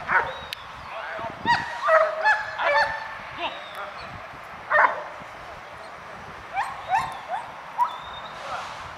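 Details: Adult male black-saddled German Shepherd at its last training session before an official breed selection; loud harsh barks come singly and in short bursts of two or three, with gaps between them and a person speaking in the background.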